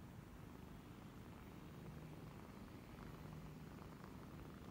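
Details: Continuous low, even purring as kittens aged 28 days nurse from their mother, a new mother and former stray cat living in Cambodia, 28 January 2020; the rumble holds steady with no other clear sounds.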